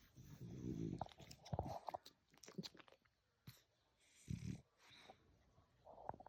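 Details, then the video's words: Drowsy male French Bulldog lying indoors, giving low rumbling grunts and snorts in a few separate bursts, with some higher soft whimpering sounds and faint rustling. "funny dog sounds"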